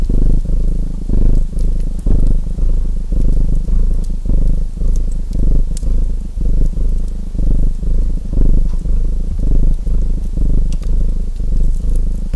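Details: Purring domestic cat: a continuous low throbbing hum rising and falling about once per second with each breath, while a chimney fire crackles with scattered bright pops.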